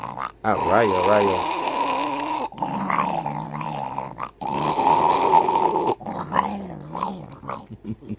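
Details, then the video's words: Hercules, a pet dog moody in the morning, grumbles and growls in drawn-out, wavering moans that rise and fall in pitch, broken by short pauses, while a person talks over him. "My Dog Hercules always Moody in the morning"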